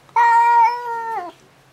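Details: House cat frightened by a stray cat visiting outside the window before 7 a.m., back fur and tail fluffed up, crying loudly: one long, steady, harmonic-rich yowl that drops in pitch at the end, with a quiet room behind.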